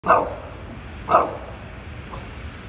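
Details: A bulldog gives two short, gruff barks about a second apart, apparently at something in a tree.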